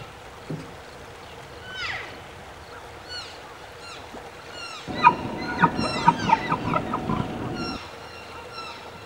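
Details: Elk bulls bugle in early September as the fall rut begins, high sliding whistles rising and falling and echoing through forest, answered by distant callers; calls challenge rival bulls and attract cows.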